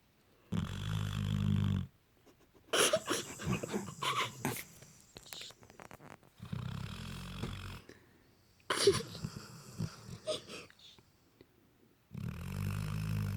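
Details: Sleeping Labrador Retriever puppy snoring: low rumbling snores in three bouts of about one to two seconds, separated by quieter rustling breaths and brief sniffy noises.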